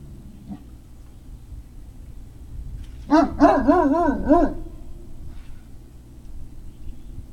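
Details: Great Dane puppies on 3 May 2019 give a quick run of wavering, yodel-like yelps, about six rapid pulses bending up and down in pitch within one and a half seconds, over a constant low hum.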